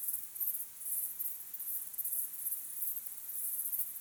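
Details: Crickets chirping at sunset under an evening sky, a natural recording: very high, shrill pulsed trills repeated in bursts of about half a second, overlapping into a steady rhythmic chorus with no other clear sounds.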